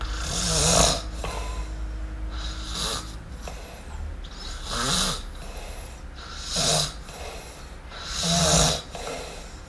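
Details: MiuMiu, a kitten, snoring in sleep: airy rasping breaths with a faint throaty rattle, coming every two seconds or so at uneven strength, over a low steady hum.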